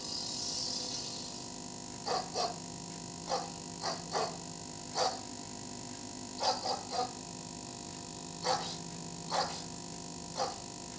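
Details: A Labrador retriever reacting to a weird sound test gives short, sharp barks, sometimes in quick pairs, over a steady background tone.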